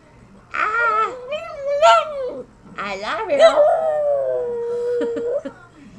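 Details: Hank the Tank, a small pet dog, tries to say 'I love you' with rising and falling whiny howls. The last tone is long and steady, and the phrases are broken up by brief yelps.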